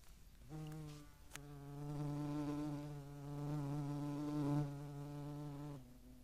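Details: Flight buzz of a European hornet at a feeding site in the Eifel at Dohr, 11 July 2022, among median wasps: one loud, sustained, low humming drone lasting about five seconds, holding a steady pitch before cutting off abruptly.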